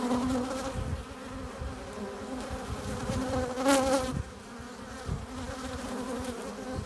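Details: Honey bees crowding a hive entrance while bringing in pollen and nectar: continuous buzzing hum, with a loud close fly-by near the middle giving a sharp, bright buzz before the drone settles back.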